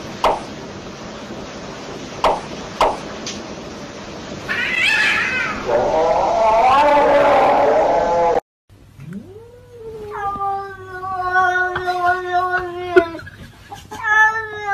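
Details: Pet cat meowing in a compilation: noisy first half with muffled sounds, then after a cut a long rising meow followed by sustained, steady harmonic meowing with slight pitch wavers.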